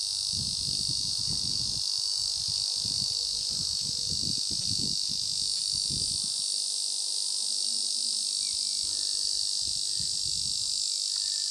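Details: Ezo cicada producing a sustained shrill buzz throughout, while low rumbling bursts and knocks sound underneath during the first six seconds, then fade to quieter background.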